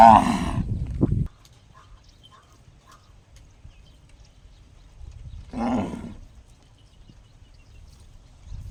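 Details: A cow makes a strange call said to sound just like a gong. Two brief, ringing, harmonic bursts come about five seconds apart, the first strong and followed by a short thump, then quiet low background hum.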